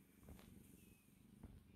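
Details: Boo Boo, a sleepy and contented female house cat, purring close up: a deep, even, throbbing rumble with rhythmic low pulses and a couple of soft breathy bumps, otherwise quiet.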